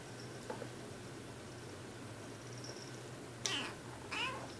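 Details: Kitten asking to be petted for the first time after a couple of aloof days indoors; two short, thin meows near the end, the second rising then falling, over a steady low electrical hum and faint background hiss.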